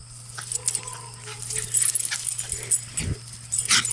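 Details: A Cocker Spaniel and a Cavalier King Charles Spaniel running outside give soft whimpers and brief yips over a steady low hum and rustling.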